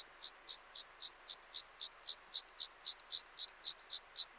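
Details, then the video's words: Club-legged grasshopper (Gomphocerus sibiricus) recorded at Leogang, Austria, on 5 September 2023: a steady series of hissing, rasping pulses, about four per second, some eighteen in all, evenly spaced and high-pitched, with a quiet background. "Gomphocerus sibiricus -- Sibirische Keulenschrecke -- Club-legged Grasshopper"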